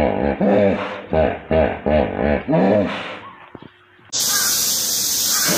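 A hippopotamus gives a run of deep, nasal honks, about two a second, rising and falling in pitch. A loud rushing hiss follows.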